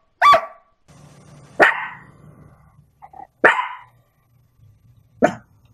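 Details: Single sharp dog barks about every one and a half to two seconds, four in all, each abrupt and brief, with a low steady hum and faint rumbling between them.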